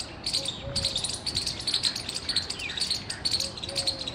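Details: Squirrel chirping loudly, recorded 17 February 2021: short, sharp high chirps repeated about twice a second in uneven bursts, with faint softer chirps and background hiss.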